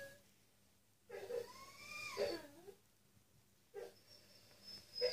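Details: A Staffordshire Bull Terrier, having an anxiety attack at night in the dark because he thought he was on his own, whines in high, wavering cries that rise and fall.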